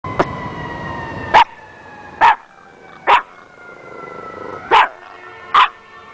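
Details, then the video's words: Beckett the dog making crazy noises: short, sharp barks spaced roughly a second apart, five or six in a row, over a steady two-tone wail of a siren sliding slowly downward. "beckett makes crazy noises"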